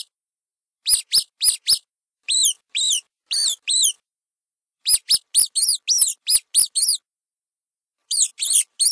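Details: Mice squeak in rapid, high, bent notes, starting with four short sharp squeaks, then four longer arched ones, a busy run of about ten more, and a final group of three, all on silence.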